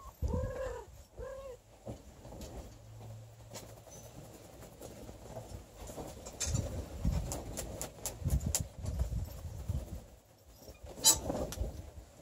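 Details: Don Sphynx kittens, 30 days old, with their mother and father: two short arched mews in quick succession near the start, then handling rustles, soft thumps and low bumping noises.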